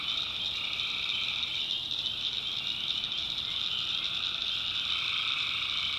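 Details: Tree frogs at night in a North Carolina backwoods swamp, many voices blending into a constant piercing trill, with a fainter lower drone holding steady throughout and no gaps in the sound.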